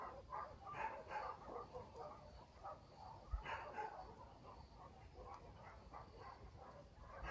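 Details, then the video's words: Village dogs barking at night in the countryside; a fast, uneven volley of distant yaps and barks, roughly two per second, with one louder burst midway, set against a quiet low rumble. "Nature Night Country Sounds barking dogs in the village"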